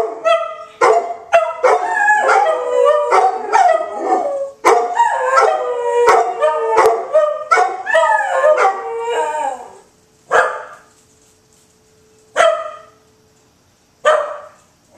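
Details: Three dogs in Oklahoma City howling during the Saturday noon tornado siren test, overlapping wavering yelps and howls for ten seconds, then a steady siren tone with a few separate howls rising every two seconds.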